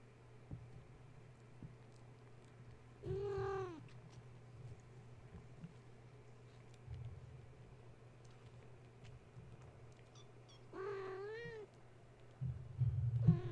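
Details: Gaia's kittens, awake and wound up at bedtime after a space heater was plugged in, climbing walls and the kennel while their mother tries to settle them; two drawn-out arched meows spaced about seven seconds apart, with scuffling and a constant low hum.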